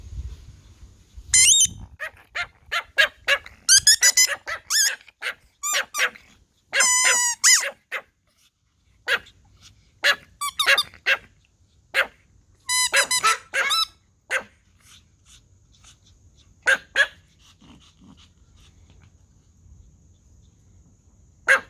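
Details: Several Pomeranian Toy Pom dogs barking in response to a whistle: sharp, high-pitched yaps in short bursts and clusters, some quick doubled barks, with quiet pauses between volleys and a faint low hum underneath.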